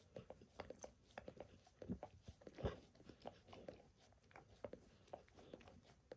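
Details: Max the dog, self-grooming indoors by licking his paws and a foot's arch; moist slurping smacks in uneven runs, with one louder thud-like lick near the middle, in a small room.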